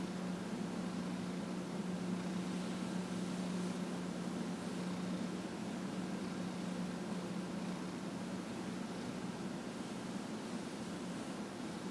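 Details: Steady broadband fan-like noise with a constant low electrical hum, no animal voice audible.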